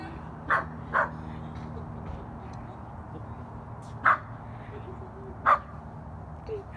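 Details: Dog barking in a front yard with a cup on its face: four short, sharp barks, two in quick succession near the start, then two more spaced a second or more apart, over a steady low hum.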